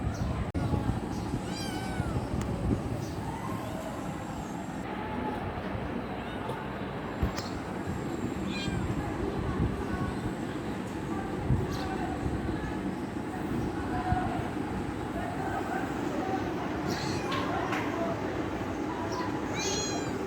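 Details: Kitten wanting affection, giving several short, high, wavering meows spaced through the recording over a constant loud low rumble like a moving train, with faint speech.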